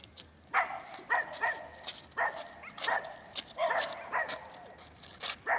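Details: Rough Collie puppy Manakel Lakefield Talking Blues barks during a training session on 13 April 2015; clear ringing yaps, single and in pairs, spaced about half a second to a second apart.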